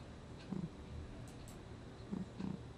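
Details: Sleeping cat Gnusmas, recorded in August 2020, giving soft low snuffling snores: a few brief, faint, buzzy pulses close together against a hushed room.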